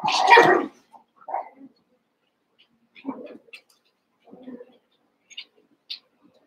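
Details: Cavalier King Charles Spaniel puppies, eight together after six from one litter were merged with two from another, at play: one loud, harsh yelp opens, then short, quieter whimpers and yips come at scattered moments over near silence.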